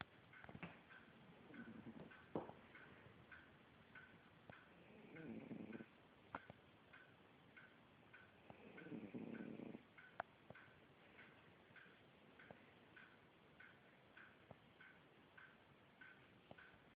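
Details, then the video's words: Sleeping cat snoring, with slow rasping low breaths repeating about every three to four seconds, each lasting around a second, and a loud clock ticking regularly in the background. "Snoring cat"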